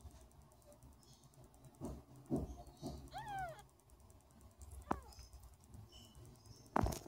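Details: Hungry kittens at feeding time, eager for another milking session; one short arched mew rises and falls near the middle, with a brief squeak later, over quiet indoor background with soft rustling and a louder bump at the end.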